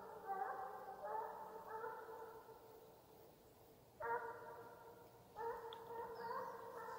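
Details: Russian hound giving voice on the chase in Ivanovo Oblast, Russia: far-off, tonal, howling bays in several bouts, with a short pause near the middle before two louder onsets.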